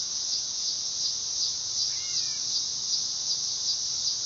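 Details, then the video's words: A dog-day cicada (Neotibicen canicularis) drones loudly and shrilly, its buzz throbbing gently about twice a second, while a faint double bird chirp sounds midway. "Cicada sound / call / noise | Dog day"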